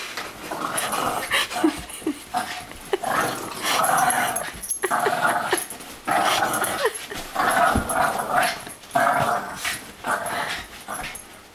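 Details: Boston Terrier at play with a Great Dane in a small room, giving repeated bursts of throaty growling and snarling, broken by brief high yips and scrabbling paws, the rough noise rising and dropping every second or two.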